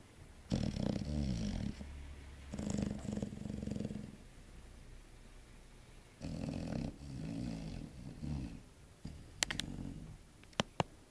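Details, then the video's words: Sleeping chocolate Labrador Yogi, six months old, snoring: three rough, deep rasping breaths of one to two seconds, separated by quiet pauses, followed by a few sharp clicks at the close. "Chocolate Labrador Yogi snoring"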